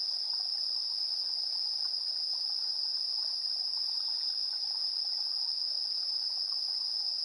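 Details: Evening insects, 7:04 PM, 3 September 2022, recorded using a TASCAM Portacapture X8 in AB stereo: a steady piercing trill holds throughout, with a faint higher hiss and soft scattered chirps underneath.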